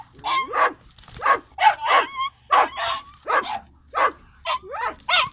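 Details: Doberman chasing a fox on farmland, giving a rapid series of sharp, high-pitched barks and yelps, about ten bursts in five seconds, some rising into whining tones; faint low hum underneath.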